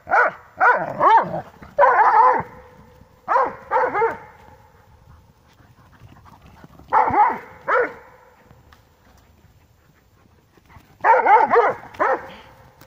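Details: Dobermanns at play, tugging a toy, let out clusters of two or three sharp harmonic barks separated by quiet stretches of several seconds.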